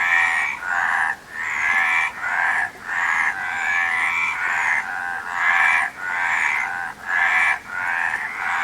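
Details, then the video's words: Frogs call in a lively chorus of grating, trilled croaks, bursts coming roughly every second with brief pauses between them, several voices layered at slightly different pitches. "Frog Sound"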